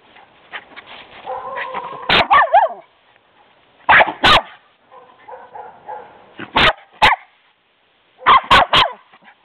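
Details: Pet dog Baz barking as he sees dad pull up, playing excitedly: sharp, loud barks in quick pairs and clusters of two to four, separated by quieter whines and yelping tones that rise and fall between bursts.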